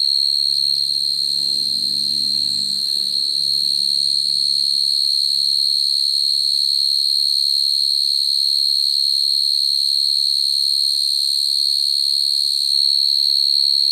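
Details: Field cricket's nighttime call to females, used for cricket trapping: a constant high ringing trill with an overtone, plus a faint, wavering low murmur early on and a light flickering buzz above.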